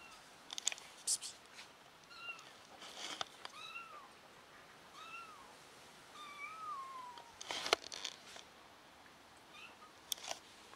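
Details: Kitten, lost and now back with her family, mewing repeatedly in high, arched cries roughly every second, one drawn-out falling meow in the middle, amid clattering and rustling noises.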